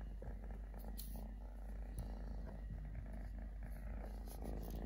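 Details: Continuous deep purring from Totoshka, a stray male kitten living with three legs: a low, rapidly pulsing drone without pauses, with a couple of small taps and light handling noise.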